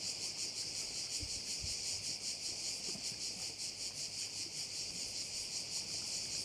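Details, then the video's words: Crickets by a bay on Korčula, Croatia: an unbroken, bright, high shrilling pulsing roughly two to three times per second, with faint low rustles beneath. "View of one of the bays in Korcula with sounds of crickets"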